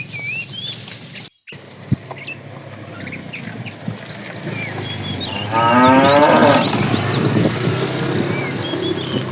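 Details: Tame cows herded in the morning toward green grassy pasture; a single loud, drawn-out lowing moo rises in the middle, while small birds chirp and whistle steadily throughout and a brief dropout breaks the start.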